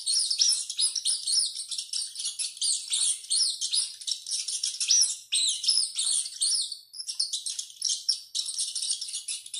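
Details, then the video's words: High, shrill squealing of a rat as it runs, a nearly unbroken chatter of sharp arched squeaks, dense in the first seven seconds, then thinner, more drawn-out cries toward the end. "SOM DE RATO CORRENDO E GRITANDO MUITO"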